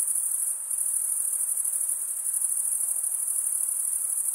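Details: Stridulating crickets produce a steady, high, shimmering trill with a slight dip in loudness near the start, then an unbroken chorus to the end.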